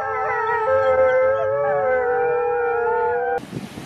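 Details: A wolf holds a long, steady, mid-pitched howl with slight wavering for over three seconds. The howl cuts off abruptly into a burst of rough noise.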